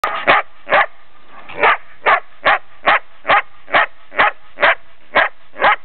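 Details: A female Belgian Shepherd, nearly ten months old, recorded in Brno, Czech Republic, on 3 March 2007, barks in a steady series of short, sharp, mid-pitched barks about twice a second.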